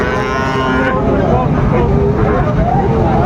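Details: Sahiwal bull calves at Raniganj cattle market in Dinajpur, Bangladesh, 16 September 2024; a moo with a harmonic tone in the first second, then crowd chatter, men's voices and steady market hum.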